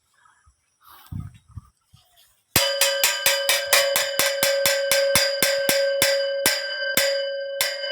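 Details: A few soft murmurs give way to a ringing metallic bell struck in a quick, fairly regular beat, about two strikes a second, with no animal call.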